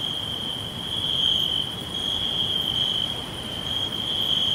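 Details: Crickets chirping all around in a green forest: a steady, continuous high-pitched trill that holds without pause, forming a dense insect chorus with faint higher tones above and a soft rustling background hiss.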